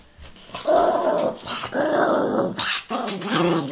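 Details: Angry Chihuahua growling indoors: rough, rumbling bursts with a tonal edge, rising and falling over about three seconds, with short gaps between snarls.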